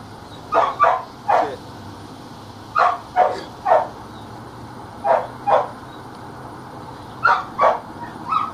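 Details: Belgian Malinois barking during attack training practice: sharp barks, mostly in pairs and triplets, repeated in bursts about every two seconds against a steady low hum.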